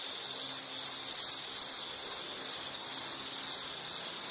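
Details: Continuous shrill insect trill, high and thin, beating in soft regular pulses of steady loudness throughout, with quiet background and no other callers evident.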